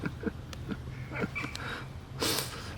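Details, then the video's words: Black cat coughing indoors: a few soft, breathy snorting puffs, then one sharp, harsh hacking burst near the end, with low room hum beneath. "Cute black cat coughs"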